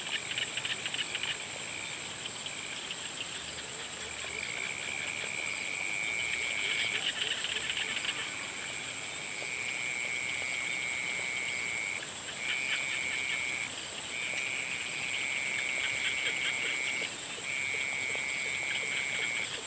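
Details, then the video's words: Frogs calling at sunset: long, steady, high-pitched trills lasting one to several seconds, separated by short pauses, over a constant high insect hiss. "Sunset sounds of frogs"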